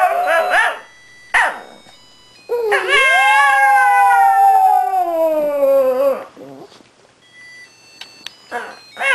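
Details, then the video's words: Pet Shih Tzu howling along to Christmas music, with a second Shih Tzu joining in; short yelping notes, then a long harmonic howl lasting about three seconds that rises and slowly falls, followed by brief whimpers. "The Singing Shih Tzus"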